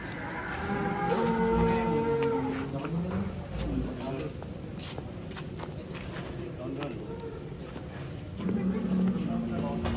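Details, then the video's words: Large black cattle being led out of its pen gives a long, low drawn-out moo over the first three seconds. Men talk throughout, and clatter and shuffling follow. "MENEGANGKAN SAPI MONSTER HITAM KELUAR KANDANG"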